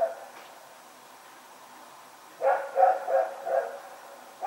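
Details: Dog barking while running around in the night, recorded September 21, 2018. About two seconds of quiet, then a rapid burst of four harsh barks and one more bark at the end.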